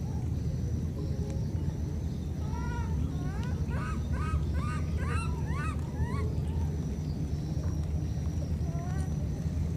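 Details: Separated by floodwater, two wild baby monkeys call back and forth in a fast run of high upswept chirps, stacked with overtones, repeated several times a second for a few seconds, above a steady roar of rushing water.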